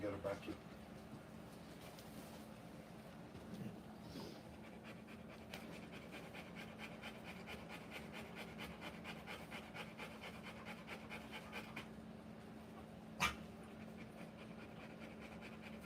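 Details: Rottweiler giving birth to puppies, panting in fast, even breaths, several per second, through the middle of the recording, over a steady low hum, with a sharp knock near the end.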